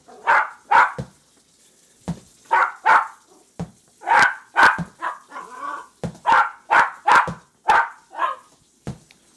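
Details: Excited Jack Russell Terrier puppies worked up over a ball, giving bright, clipped yaps in quick clusters, some doubled, with occasional softer grunting yelps between the louder barks.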